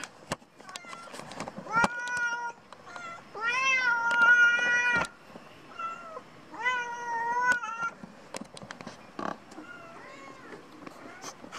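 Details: Cats at lunch time giving repeated meows: a brief mew, then a long, loud, level meow, another drawn-out call a few seconds later, and sharp clicks and household clatter throughout.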